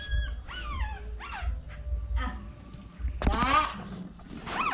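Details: Newborn puppies crying in a run of high, downward-sliding whimpers and squeals, irregular and a second or so apart, one louder wavering cry near the end, with low rumbling background noise.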